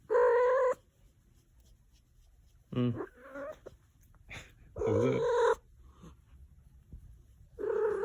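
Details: Pet cat repeating its only sound, a strong sustained meow under a second long, followed by short chirping and trilling mews and more long harmonic meows at irregular intervals, with faint clicks in the background.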